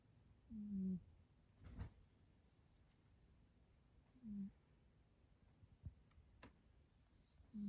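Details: Sleeping cat named Yo snoring loudly and suddenly indoors. Low, short, droning snores recur roughly every three and a half seconds, with faint clicks and room noise between them.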